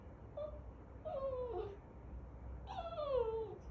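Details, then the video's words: Poodle puppy whining because he is not getting what he wants: a brief soft whine, then two drawn-out, high, falling whines with clear overtones, each about half a second long, in a quiet indoor space, with a person speaking around them. "Puppy poodle whinning and being responsive if he doesn’t get what he wants !"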